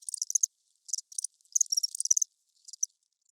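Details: Crickets chirping at night: bursts of high, dry pulsed chirps in irregular clusters, several callers overlapping, with brief silent gaps between groups and no other sounds.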